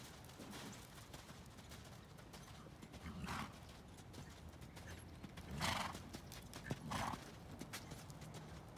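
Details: Hanoverian bay mare, born 2013 and lightly started under saddle, whinnying in short loud bursts near the third, sixth and seventh seconds over a steady clatter of hoofbeats and outdoor background noise.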